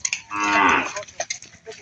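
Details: Water buffalo being herded home after a day of grazing, giving one drawn-out, nasal moo lasting about half a second with strong harmonics, followed by faint voices and rustling.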